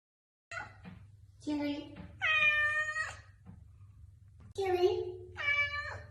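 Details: Indoors, a person talks while a cat answers with short meows and two longer, clear meows, each lasting about a second.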